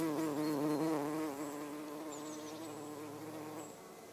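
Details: Garden bumblebee (Bombus hortorum) visiting everlasting sweet pea flowers; loud, wavering droning buzz with rich harmonics at the start, gradually fading and steadying as the bee moves off.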